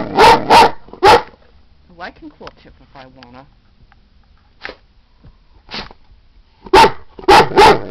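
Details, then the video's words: A female Great Dane asks to go out with bursts of deep barks, two or three close together at the start and end, separated by quieter whining and a person talking. "My great dane beauty telling me she has to go out"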